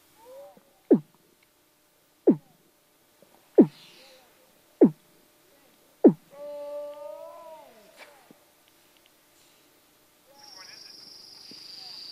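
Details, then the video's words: Weddell seal, from a recording featuring two males and a practicing pup: five loud, evenly spaced low thumping pulses about every 1.3 seconds, then a rising-and-falling harmonic tone and a faint hissing sound at the end. "Eerie Vocals of Weddell Seal Pup & Adult"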